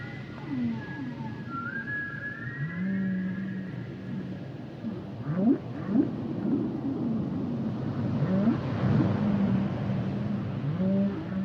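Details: Humpback whale song with mixed units: a high rising whistle, sustained low moaning tones, and clusters of short upswept chirps, set against a heavy low rumbling background that grows louder toward the end.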